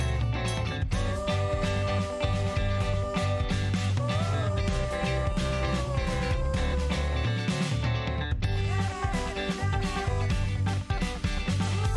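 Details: Guitar-led country-style music plays steadily throughout, with no animal sound heard.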